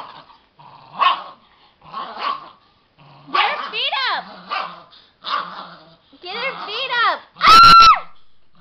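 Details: Thirteen-year-old dachshund playing tug of war; gruff growls and short yappy barks in separate bursts, ending in a sharp high bark, with people talking and laughing nearby.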